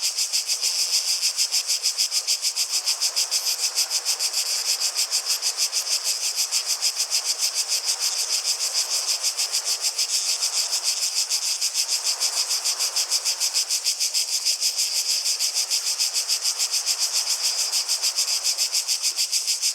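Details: Cicadas in a continuous high, dense buzzing chorus, pulsing rapidly at about three beats per second, steady throughout with a faint broadband hiss beneath.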